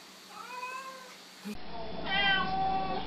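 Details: Cats meowing in a funny compilation of cats saying hello: a faint short meow early on, then after a cut a louder, strongly harmonic meow lasting about a second, with a person greeting the cat nearby.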